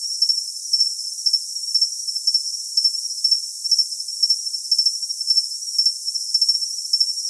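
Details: Cricket chirping in quick repeated bursts, about two chirps each second, each a bright high tinkle set over a constant shrill hum; nothing else is heard.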